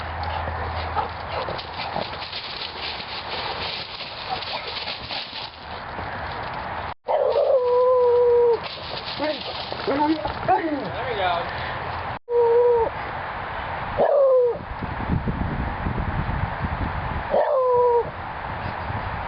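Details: Visiting beagle next door howling while a mastiff and a labrador listen: long tonal howls that slide and fall, repeated several times in the second half, over a background of applause, music and people talking and laughing.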